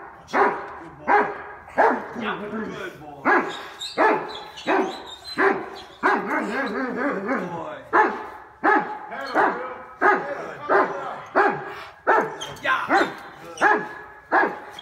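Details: Cane Corso during personal protection training, barking repeatedly and forcefully, about one harsh bark per second for fifteen seconds, with a handler's voice heard between barks.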